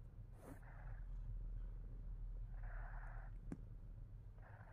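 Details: Himalayan Persian cat called Fat Boy keeps up a low, rhythmic purr, overlaid by three breathy bursts and a brief sharp click.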